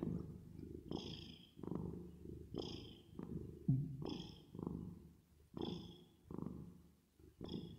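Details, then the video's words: ['Resting, sleeping cat purring, reverb added; a deep, throbbing rumble that swells and fades in steady breath cycles about every second, with thin airy whistles riding on some pulses.'] "10 Minutes Of Cat Purring Sound With Reverb Effect"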